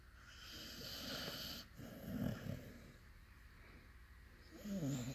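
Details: Snoring from Ali, a pup fast asleep: low, rough breathing rumbles rising into two louder snores, the last one gurgling near the end, steady faint hiss underneath.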